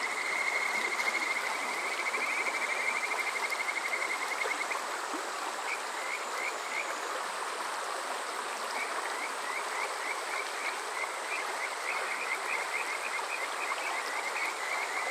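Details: Kajika frogs calling on a summer night at Yokoze, Chichibu, Saitama, Japan, recorded on a TASCAM DR-05X: clear high whistled trills, first a long run, then rapid repeated rising chirps from several frogs over a constant rushing stream.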